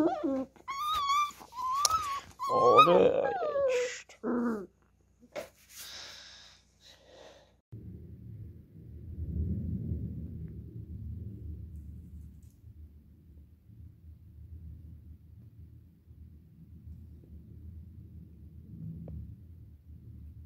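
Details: Beagle puppy indoors, playing with a hand: high yipping whines and squeaks with short growl bursts over the first seconds, then a long stretch of quiet, low rumbling growl-like noise.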